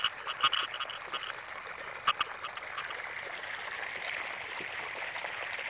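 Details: A dense chorus of rice-paddy frogs in the rainy season, with a few louder croaking notes rising above the steady trilling din.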